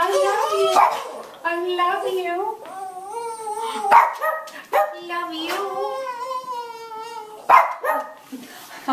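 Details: Cavalier King Charles Spaniels Tierney (Blenheim, 3 years) and Hayley (Tricolor, 7 years) greet their owner returning home at night, as happens nightly. Long, wavering, harmonic whine-howls rise and fall in drawn-out phrases while a woman talks affectionately over them.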